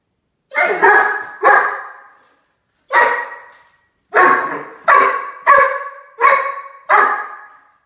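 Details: A talkative male Great Dane puppy, pestering a cat that growls at him, gives a run of sharp, ringing barks, each fading quickly.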